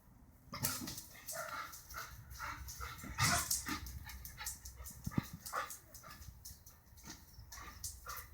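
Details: Border Collie reacting to birds it dislikes, giving harsh, noisy barks that peak near the middle amid broadband clatter and background noise.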